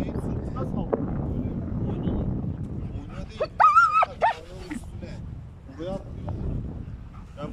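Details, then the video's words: Ramiz, a German Shepherd, standing up to a huge cow: a loud, drawn-out yelping bark rises and holds for about a second midway, with a few shorter barks after it, over steady men's talk and low rumbling background noise. "DEV GİBİ İNEĞE KAFA TUTAN ALMAN KURDU RAMİZ!"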